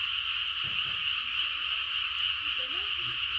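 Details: Many frogs calling at once late at night in the countryside, their voices merging into a dense, unbroken chorus.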